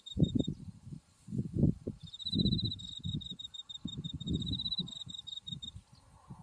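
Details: An autumn insect chorus in a buckwheat field swaying in the wind near Mount Tsukuba. A short high trill, then a long run of rapid pulsed chirps lasting several seconds, under low blustery rumble.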